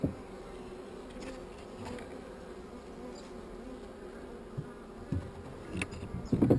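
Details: Honey bees, only mildly agitated, hum in a steady low drone around a hive with a single swarm cell, while scattered clicks and handling knocks grow louder toward the end.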